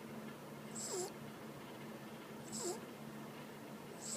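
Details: Sleeping female pet dog snores loudly, each breath carrying a faint whistled dip in pitch, repeating roughly every one and a half seconds against a constant hum.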